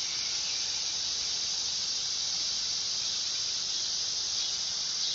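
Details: Dog-day cicada (Neotibicen canicularis) giving an even, intense, high-pitched electric buzz, held steady and unbroken throughout.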